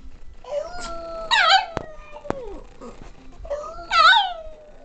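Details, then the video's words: Female pet Boston Terrier singing along in a duet; two short wavering howls with bright yipping bursts, a falling whine between them. "Boston Terrier [Mamas] loves to sing!"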